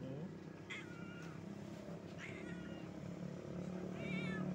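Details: Hungry pregnant stray cat living on the street, calling out for food; three drawn-out, wavering meows with harmonic bands, the last louder and rising, over steady low traffic-like rumble and background noise.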